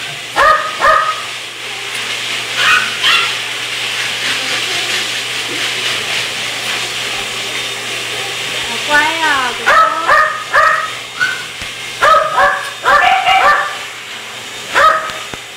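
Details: Chihuahua awaiting adoption, giving short high-pitched yips and barks in quick bursts, several clustered together near the end, while people talk steadily throughout and a constant low hum runs underneath.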